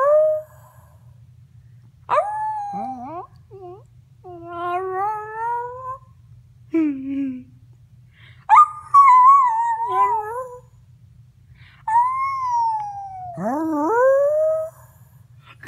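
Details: Little pet dog howling in a varied series of short yodelling cries: sliding swoops, wavering held notes and a brief low groan, irregularly spaced with pauses between, over a faint steady hum.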